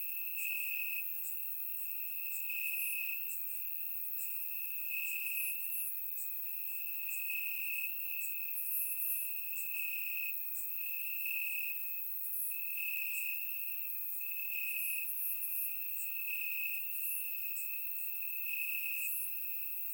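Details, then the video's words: Warm summer night in Bulgaria, crickets chirping in the grass; one loud, even high-pitched trill pulsing in rhythmic bursts, backed by a dense chorus of thinner, higher insect chirps, captured with a surround microphone. "Cricket Sounds - Crickets Chirping at Night"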